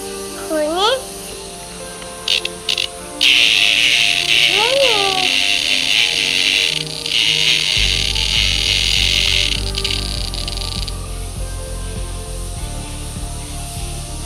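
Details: A cicada held in a child's hand during play in summer gives a loud, steady, hissing buzz lasting several seconds, with children's voices around it.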